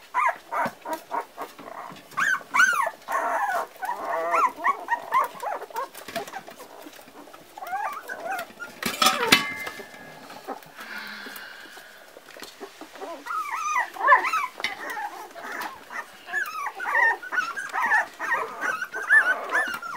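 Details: A litter of Parson Russell Terrier puppies aged four weeks whines and yelps in bursts; a loud knock and rustling cut in near the middle, then the overlapping, wavering squeals resume.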